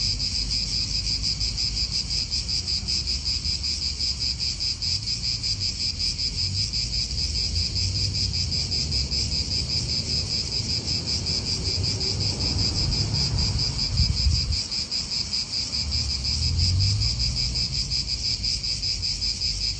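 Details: Unbroken cicada chorus in an Italian park, a high, rapidly pulsing metallic buzz holding steady throughout, while low wind rumble swells and a brief deeper rush passes midway.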